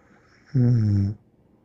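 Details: A single drawn-out snore from a sleeping pet dog named Bear, about half a second of low, steady, resonant rasp in a quiet room.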